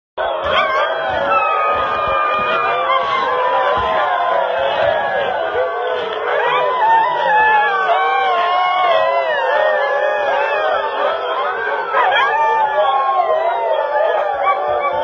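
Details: A pack of more than 40 Siberian huskies howling together in overlapping, wavering tones.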